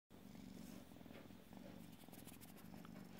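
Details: Purring from a young Burmilla or Asian kitten, one of three GCCF-registered kittens offered for new homes. Low rumbling purr rising and falling in steady breath cycles, with a faint hiss in the background.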